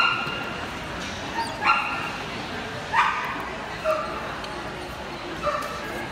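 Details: Samoyed at a dog show on March 23, 2019, barking in short, sharp, ringing bursts, four barks at uneven intervals of roughly one to one and a half seconds, over steady hall murmur and background voices.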